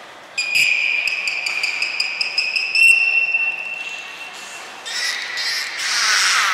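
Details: Belugas Hodoi, Taanya and Mirai, kept at Port of Nagoya Public Aquarium, recorded 23 February 2021 while moving pools and training: a long steady whistle with rapid clicking pulses running through it, then fainter hissy bursts, in a reverberant room.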